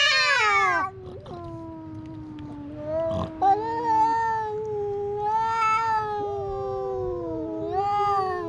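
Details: Cat fight at a fishing port: a loud shrill wail breaks off into lower drawn-out moaning yowls, with brief faint clatter, then swelling howls from a second cat answering.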